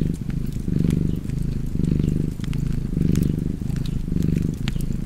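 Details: Purring house cat near an open fire, the low vibrating hum rising and falling in regular inhale-exhale waves about once a second, light fire crackles overhead.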